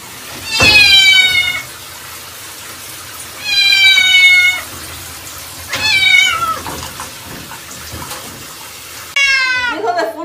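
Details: Bathed cat complaining loudly with long, harsh, drawn-out meows. There are three wailing cries spaced a couple of seconds apart, then a sharper, higher yowl at the end over a steady background hiss.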